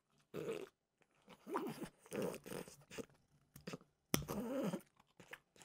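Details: French bulldog Mimosa snacking indoors on peanut butter flavored dog treats in an ASMR recording; short bursts of wet crunching and munching separated by brief silent gaps, in a quiet small room.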